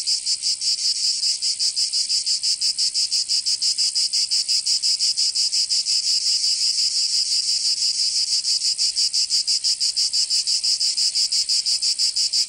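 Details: Continuous summer song of cicadas in Provence, southern France, a piercing metallic buzz throbbing quickly and regularly, roughly three beats a second, filling the whole recording.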